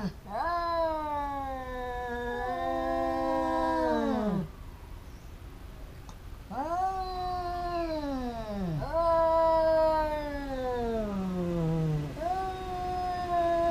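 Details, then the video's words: Two cats fighting, a pair that quarrels often: long, loud, wavering yowls, each held about four seconds, sliding downward at the end, with rich harmonics and short pauses between the drawn-out howls. "แมวกัดกัน คู่นี้เหมือนลิ้นกับฟัน กัดกันเรื่อยๆ cats fighting"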